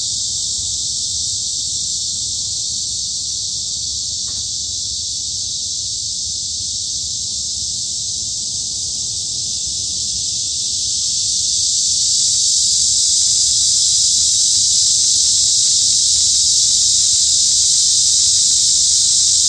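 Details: Cicadas buzz in the summer woods of Hanbat Arboretum in Daejeon, Korea; the shrill high drone holds steady, then grows noticeably louder and fuller around eleven seconds, with a few faint clicks.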